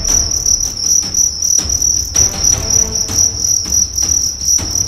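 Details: Karawang fighting cricket from West Java, size 7, 1.4 grams, under a fighting test: a loud shrill trilling chirp sustained throughout, broken into short bursts, over dull low knocking and rustle.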